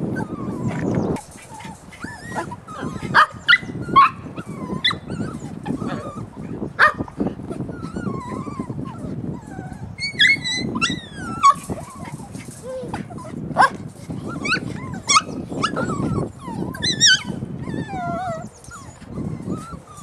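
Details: Several puppies keep up a busy chorus of wavering whines and short squeals, some sliding upward, others dropping, with brief yips scattered through, over steady low shuffling and faint voices.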